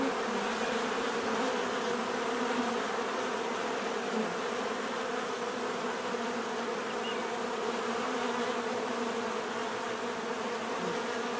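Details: Dense, unbroken drone of many bees buzzing outdoors, a rich low hum with faint flickering wingbeat texture and no other animals or people audible.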